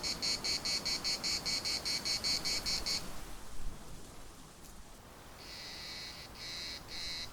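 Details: Larnaca municipal park cicadas: rhythmic buzzy pulses for three seconds, then a quiet pause with a faint rustle, before the shrill buzzing returns as longer, smoother bursts.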